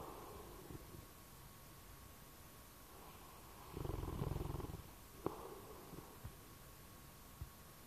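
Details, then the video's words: Bloodhound asleep and snoring, a single deep, rasping rumble lasting about a second midway, followed by faint clicks and soft breathing in near silence. "snoring bloodhound"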